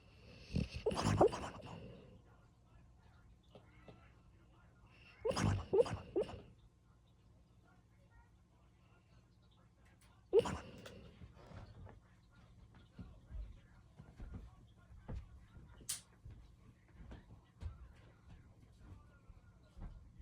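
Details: A dog known for being silent, making noises while asleep: three loud breathy snorting bursts around one, five and ten seconds, with softer snuffles and low hum between them in a quiet room.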